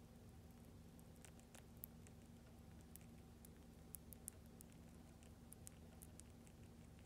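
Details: Mini Goro, a pet hamster, eagerly eating a lactic acid bacteria paste (Lactobite) indoors; quick soft clicks and crisp ticks of licking and chewing scatter irregularly over a low steady room hum.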